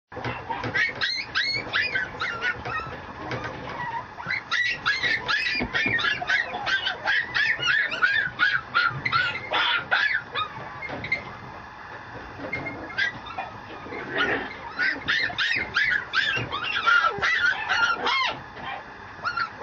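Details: Male Mameshiba puppy at a breeding kennel in Japan, yapping almost nonstop: rapid high yips and whiny squeals in bursts of several per second, a brief quieter pause near the middle, then another run of shrill yelps.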